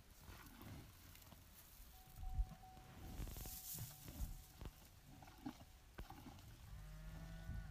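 A cow gives a low, droning moo near the end, over rustling and scattered clicks.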